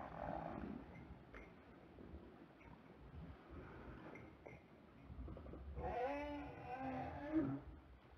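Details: Two southern right whales recorded by a hydrophone on a pole and buoy on 8 April 2021 during a mating event in Table Bay, South Africa, give low, harmonic moaning calls that waver in pitch.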